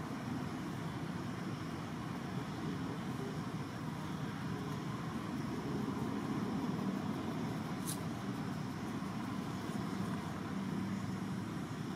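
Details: Steady, dense roar of road traffic and engines throughout, with no animal calls heard.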